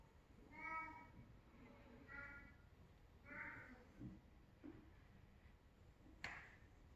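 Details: Silver Bengal kitten, 8 weeks old, giving soft harmonic meows around 0.7, 2.2 and 3.5 seconds, a few faint low sounds after, then a sharp click near the end; quiet indoor background.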